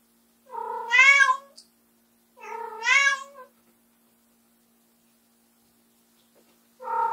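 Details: Loud repeated meowing from Ram, a white short-legged female Munchkin, calling indoors after her owner steps out of the room; two long rising-falling harmonic meows about two seconds apart, a third beginning at the end, steady low hum beneath.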